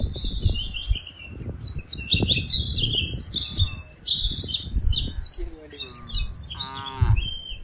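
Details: A herd of tame cattle driven from a wide green field toward their pen gives a drawn-out, rising harmonic moo near the end, over steady chirping and twittering birds and low shuffling of hooves.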